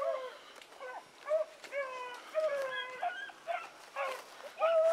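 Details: Training pups Sassy and Magnum join Ringo and Boone in a chorus of loud, tonal howls. Several dogs call at once, each note bending upward or downward, with brief sharp yips between the longer cries.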